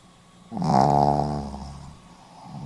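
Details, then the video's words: Pomeranian sleeping and snoring: one throaty, vibrating inhale-like snore of about a second and a half that gradually tapers off, with a hushed indoor background. "ポメラニアン 犬のいびき"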